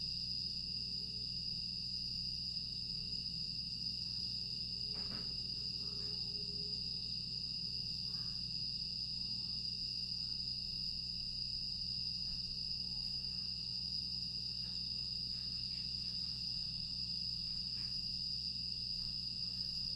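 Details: Quiet August night in Aewol on Jeju, 25 August 2022, where grass insects keep up an unbroken, piercing high whine. A soft low rumble runs underneath, with a few faint taps and clicks scattered through.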